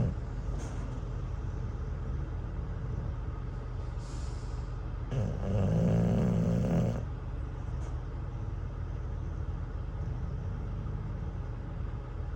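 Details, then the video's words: An English Bulldog named Cruz, dozing at a truck stop after a tiring campfire toy, makes a single harsh, rattling snore about two seconds long. It sits in the middle of a long stretch of steady vehicle rumble with faint hisses. "Bulldog Snoring at a Truck Stop | Campfire Toy Tired Him Out"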